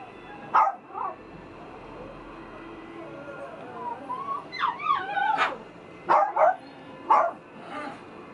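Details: Teacup-size female Maltipoo puppy; high, wavering whines and short yelping whimpers, rising and falling, in bursts over several seconds in a quiet room.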